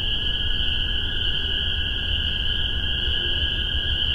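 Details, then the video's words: A massed chorus of spring peepers in Massachusetts, spring 2015, captured with spaced omni microphones and a Tascam DR-40. Countless high piping calls fuse into a continuous shrill drone, backed by a fainter lower tone and soft background rumble. "Spring Peepers"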